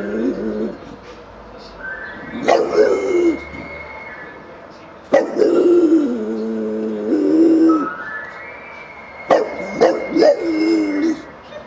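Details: A bulldog practises howling along with a passing siren: long, wavering, harmonic howls of two to three seconds swell and fall under a steady, higher, rising siren tone, with a few short sharp yelps between.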